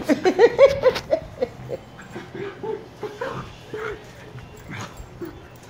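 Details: Shiba Inu puppies Niro and Kyno, 118 days old: a quick burst of sharp, high yips and whimpers in the first second, then softer scattered whines and short yelps through the rest, over a quiet background.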